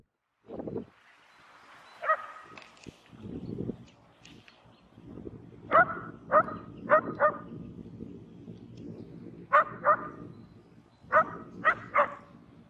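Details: Several Shetland Sheepdogs playing on crusted spring snow in Joensuu, Finland, on 12 April 2020. They give sharp, clear barks, single or in quick runs of three or four, with quiet gaps and soft rustling or footsteps between the bursts.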